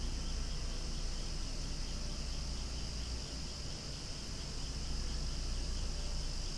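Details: Loud outdoor cicada chorus near swaying flowers: an unbroken, shimmering, high-pitched buzz that stays level from start to finish with no other clear voices.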